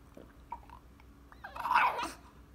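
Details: French Bulldog indoors demanding to go for his morning walk, giving a short muffled grumble followed by a louder drawn-out whining vocalization near the end, with faint background noise.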